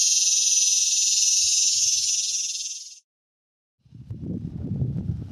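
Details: Cicada buzzing in mating season at Palm Desert, California, a male calling to attract a mate; a loud metallic drone for three seconds that fades and cuts off, followed by silence and then low rumbling noise.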